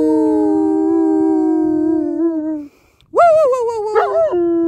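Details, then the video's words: German Shepherd dog bursting into song: a long steady howl sliding slowly downward, a brief pause, then a sharp rising onset into a wavering, quavering howl that ends in a higher sustained tone. "German Shepherd bursts into song!"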